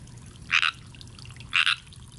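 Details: Unseen frog in a pond, thought to be a tree frog, gives two brief grating trilled croaks roughly one second apart against a quiet background with a constant low drone.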